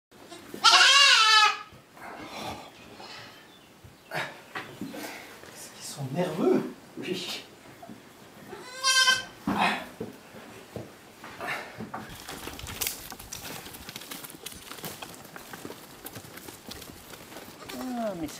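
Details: Goat bleating while goats and kids are banded: one loud harsh bleat at the start and a shorter one midway, with French speech and handling noises in between.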